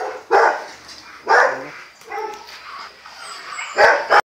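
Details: Barks from Geneson, a Rottweiler stud: three loud separate barks, spaced about a second apart then a longer gap, with softer vocal sounds and a few sharp clicks in between.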